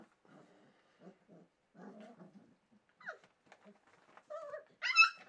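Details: Four-week-old Welsh Springer Spaniel puppies at Kennel Lurhaug, filmed 9 March 2011, give soft low grunts and murmurs indoors, then short rising whines and a loud, high, quavering yelp near the end.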